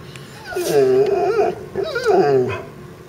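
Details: In Florida, a dog barks at a turtle with two drawn-out, wavering, whine-like barking bouts, each about a second long and separated by a short pause.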